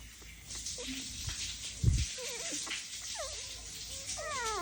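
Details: Dalmatian puppies whimpering indoors, with a low thump near two seconds, then short rising and falling squeals and a longer high whine at the end over a steady background hiss.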